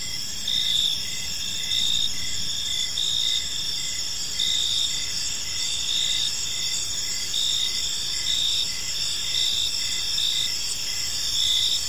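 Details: Evening cricket chorus in a quiet park: continuous shrill, high-pitched trilling, swelling in regular pulses roughly every second, with faint low background hum beneath.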